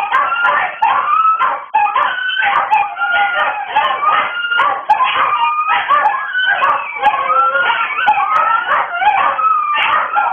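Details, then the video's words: Several dogs howling together in a dense, overlapping chorus of wavering, sliding tones, with some voices rising and falling while others hold steady. The chorus continues without a break. "Dogs Howling"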